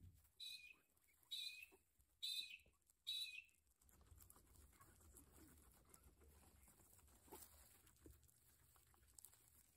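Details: Guinea pig at lunch time giving four loud, high-pitched squealing wheeks, each about a third of a second long and spaced roughly once a second, followed by a quieter stretch of soft rustling and faint chewing.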